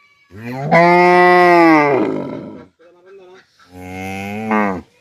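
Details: A village farm cow moos loudly twice: a long, steady, resonant first call about one and a half seconds, a brief quiet murmur, then a shorter second moo ending with a rising pitch.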